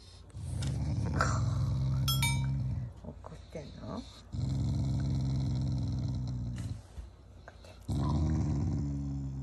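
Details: Pet Shiba Inu growling affectionately at its owners, not out of anger, around mealtime: three long, deep rumbling growls, each lasting about two to three seconds, separated by short breaks, with a person talking softly in between.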